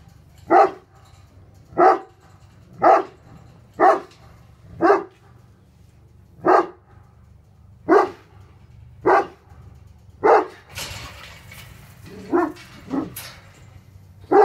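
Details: Hattori Hanzo and Leksi, two Tornjak livestock guardian dogs, confronting an intruder with steady, evenly paced deep barks about once a second, around eleven in all, with rustling noise near the end.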